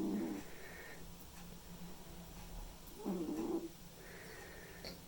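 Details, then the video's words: Snores from a sleeping white and ginger male house cat, rasping nasal breaths roughly three seconds apart, each a short buzzy wheeze, against a faint constant hum. "Snoring Cat"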